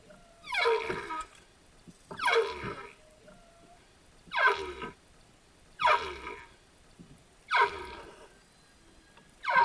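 Humpback whale calls: harmonic, downward-sweeping cries repeated about every two seconds.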